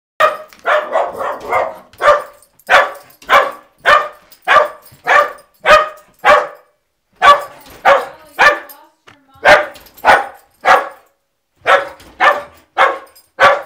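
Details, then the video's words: A pet dog barking at the mail carrier as the mail arrives, a fast series of sharp, loud barks repeated nearly twice per second, some in quick doubled bursts, with brief pauses between runs. "Dog Barks At Mail Carrier"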